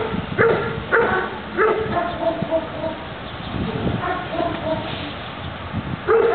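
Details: During a defence exercise, a Doberman gives a few harsh barks at the start, falls quieter while people talk, then barks again near the end.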